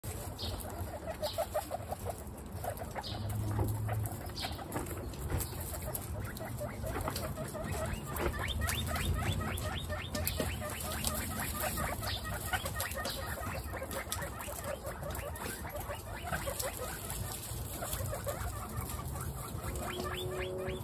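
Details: Guinea pigs from a household group of twenty-seven, mostly females, calling at dinner time: a dense, continuous chorus of overlapping squeaky, repeated wheeks with steady background hum.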